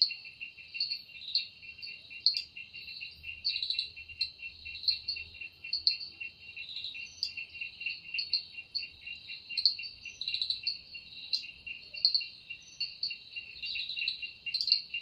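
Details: Evening forest cicada chorus, a continuous high-pitched ringing drone overlaid with quick pulsing chirps recurring every half second or so, steady and unbroken for the whole stretch.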